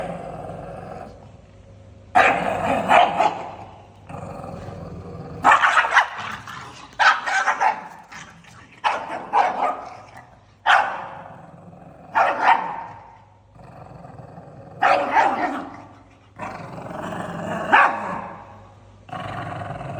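A pug barks and grumbles angrily in short, harsh bursts roughly every second or two.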